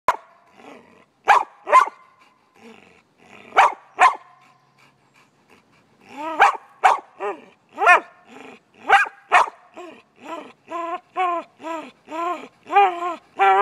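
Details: Dog barking because its owner is holding the ball: loud sharp barks in pairs and clusters, then a fast run of rising-falling yelping barks roughly twice a second toward the end, indoors with no other sounds.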